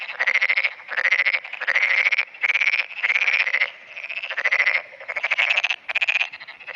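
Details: Early-morning black-spotted pond frog, 10 June 2009, calling continuously in answer to the frogs around it. Dense series of buzzy, pulsed croaks, each burst under a second, follow almost without pause, with other frogs overlapping in the chorus.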